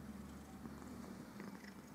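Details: Domestic cat purring while grooming itself indoors; a steady low rumbling purr runs through the whole short stretch, with faint rustling from the licking.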